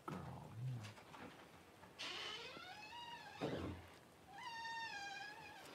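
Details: Newborn Cavalier King Charles Spaniel puppy as its mother Paris whelps her first two puppies indoors; two drawn-out, high, whining cries, the first sliding down and the second steadier and wavering, with a low human voice and a soft thump before them.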